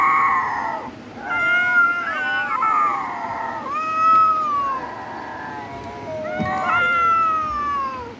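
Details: Domestic cat meowing repeatedly, about every one and a half to two seconds. Each cry is long and nasal, rising briefly and then falling in pitch, with some calls overlapping in quick succession.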